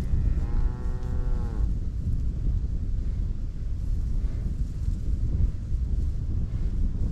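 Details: Cows grazing in a meadow on Dutch farmland in Holland: one rich, drawn-out moo lasting just over a second, slightly falling at its end, then a steady low rumble of wind and outdoor background.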